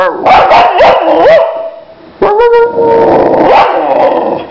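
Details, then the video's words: Boxer dog named Lila, nicknamed Lila Loca, giving loud voiced barks with bending, howl-like pitch. They come in a quick run, pause briefly near two seconds, then return as a longer drawn-out wavering vocal with repeated yelps. "Crazy dangerous Boxer dog - Lila Loca au au au"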